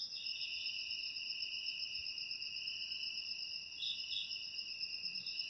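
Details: Continuous high-pitched cricket trilling, two overlapping ringing tones with quick rapid pulses near the end, steady and unbroken throughout.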